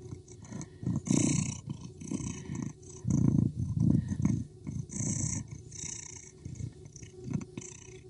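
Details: A female street cat chased by a male Persian cat fights back aggressively. Deep, grating growls come in repeated swelling pulses, loudest around 1 and 3 to 4 seconds, with brief hissing noise above.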